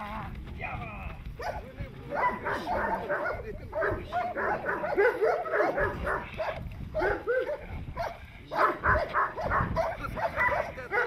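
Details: Perro de Presa Canario doing protection training, barking rapidly and continuously in dense, rough volleys over about eleven seconds, with human speech mixed in at times.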